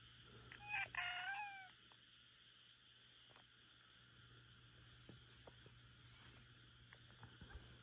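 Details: At midnight a Minuet cat, Rika, voices a complaint with one short, strained, wavering meow near the start. A quiet room follows, with faint clicks and a constant low hum.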